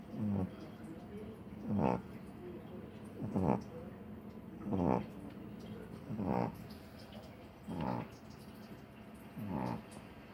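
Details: Sleeping puppy snoring: soft, rasping snores come about every one and a half seconds, seven in all, over a quiet steady background hum.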